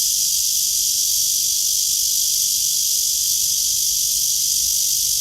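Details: Cicada on a tree under a blue sky, filmed during a walk at 9:27 in the morning on 23 August 2020; a loud, steady, high-pitched hissing drone fills the whole clip without a break.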